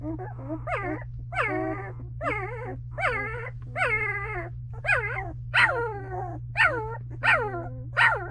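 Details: In a whelping box, two-week-old Belgian Malinois pups of Misty keep up a steady run of short descending yelping whines, a dozen or so across eight seconds, each rich in harmonics, with a droning hum underneath.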